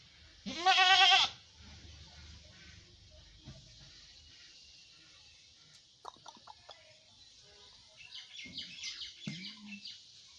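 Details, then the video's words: Black goat giving a single loud harmonic bleat near the start, about half a second long, followed by quiet background with faint scattered rustles and distant chirpy sounds. "Cute Goat sound"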